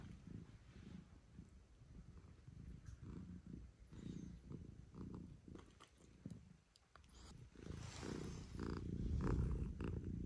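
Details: Pet cat at home in the early morning, come to wake its owner, purring in a steady low rumbling rhythm of quick pulses that swells louder toward the end, with soft rustling and household noise.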